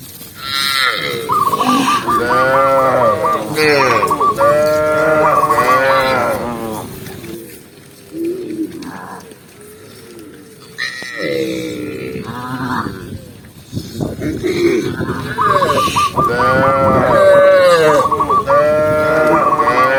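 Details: Tame cows herded as they run happily down a green hill in the countryside, lowing with long drawn moos that overlap in a busy chorus, a quieter gap midway, then more calls resuming.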